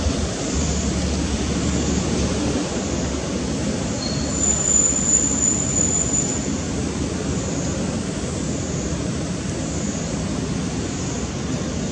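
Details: Steady low rumble of a passing vehicle or train, with faint high squealing and no animal voice. Steady low rumble of a passing vehicle or train, with faint high squealing and no animal voice.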